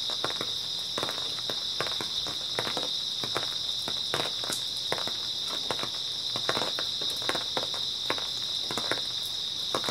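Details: Continuous shrill trilling of grass insects fills an early autumn night, an unbroken high ringing band, while irregular footsteps crunch through the foreground throughout.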